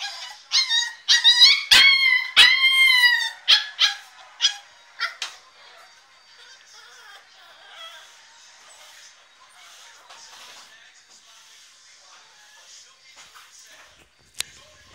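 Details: Staffordshire Bull Terrier puppy named Diablo screaming to get out of his crate: a burst of high, shrill, harmonic yelping cries over the first five seconds, fading into near silence with a single sharp click near the end.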